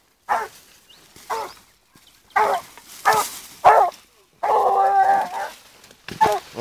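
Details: A 14-month-old blue griffon bitch on a wild boar trail gives hoarse, irregular barks a second or so apart, then one sustained, tonal howling bay before more short barks.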